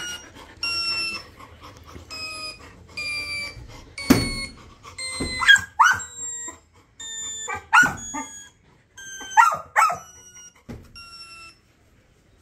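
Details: Labrador Retriever puppy howling: after a few seconds of evenly repeated, flat beeping tones, sharp yelping howls break in, in clusters of two or three, while the beeping continues underneath.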